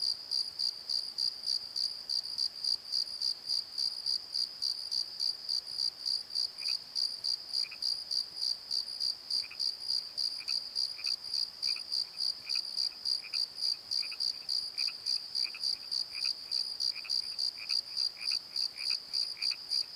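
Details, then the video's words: Crickets calling after dark from a valley bottom near a tree; evenly pulsed shrill chirps about three and a half per second throughout, with fainter lower chirping from another insect in the second half. "Crickets and Croaks! Pozo Night Tree"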